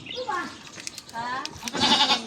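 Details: Goat at feeding time: a few short, wavering, nasal bleats spread across about two seconds, the last one louder and rising, with scattered clicks and rustling around them.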